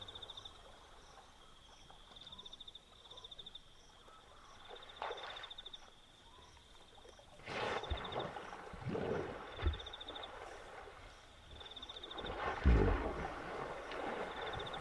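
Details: Hippopotamus calling at night beside a river in Kafue National Park, Zambia: several deep, breathy grunting bursts with low rumbles, some loud and close. Steady pulsed insect chirring runs throughout.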